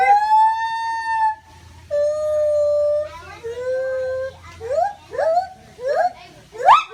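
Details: A white-handed gibbon hanging in its enclosure at Utica Zoo, New York, gives long pure hoots, then quickening rising whoops that climb toward a peak.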